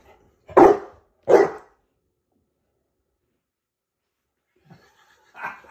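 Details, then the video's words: Saint Bernard dog giving two deep, loud, separate woofs about three-quarters of a second apart, then a long silence and a fainter broken bark at the end. "saint Bernard 🔊"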